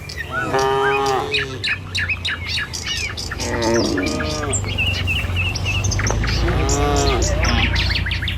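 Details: A village herd of dozens of tame cattle walks the road toward the pen. Three separate lowing moos rise out of a steady low rumble of hooves and movement, with frequent bird chirps overhead.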